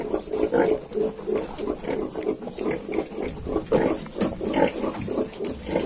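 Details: Piglets of the Yorkshire breed, 22 days old, grunt steadily in short nasal bursts, several overlapping; a hiss runs underneath throughout.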